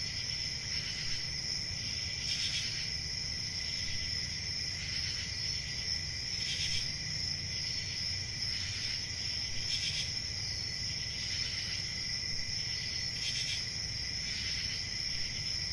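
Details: Crickets keep up a dense, ringing high trill without pause, with louder bursts recurring about every two to three seconds and a steady low rumble underneath.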